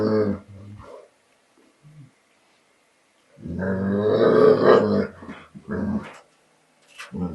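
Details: An American Bulldog, scared to take his bottle back from a Border Collie, makes low, throaty growls and grumbling moans in short bursts.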